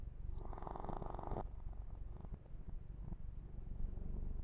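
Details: Kitten named Yumak purring during a massage; continuous low pulsing rumble, with a burst of fur-rubbing noise in the first second and a half, then purring alone.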